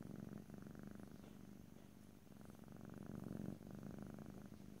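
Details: Cat purring close to the microphone in a stereo recording, a continuous deep throbbing rumble with rapid pulses, gently rising and falling with breathing and strongest just past three seconds.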